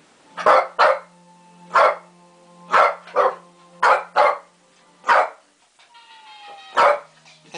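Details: Indoor Shih Tzu barking at lions on a TV wildlife program: about eight sharp barks, often in quick pairs, every one to two seconds, over a steady low television hum and a brief tone.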